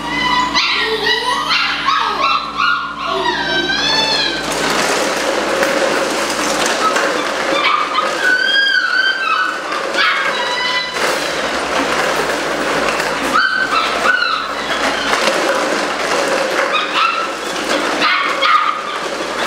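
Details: A litter of eight-week-old Malinois puppies whines and whimpers, with wavering, high, siren-like whines early on, then scattered yelps and fussing over a steady background hum.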